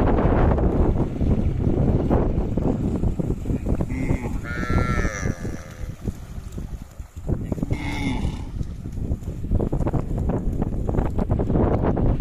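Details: A herd of cattle heading down to a river together. One animal gives a drawn-out, wavering moo midway, and a shorter, lower moo follows a few seconds later. Heavy rumbling wind noise and splashing run underneath.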